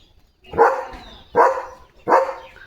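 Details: German Shepherd named Leo, a pet dog with a new pipe toy to chew and play with, gives three loud, sharp barks spaced under a second apart, each with a quick rising onset and fading tail.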